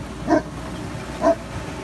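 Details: A Newfoundland dog gives two deep, gruff barks about a second apart at a snow removal truck after a winter storm, guarding the snowy home in the Laurentian area near Montreal, Canada.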